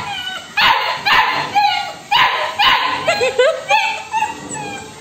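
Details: Labrador puppy demanding food from her owner: bursts of sharp, harsh yips roughly every half second to second, mixed with short rising whines, about ten calls, with a woman's voice nearby.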